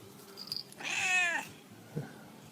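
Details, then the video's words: A pet cat yells at its owner: a single loud, bright meow of about half a second that rises and then bends down, with a soft faint chirp before it and a small knock afterward in a quiet room. "Cats Talking With Their Humans | Funny Cats Yelling"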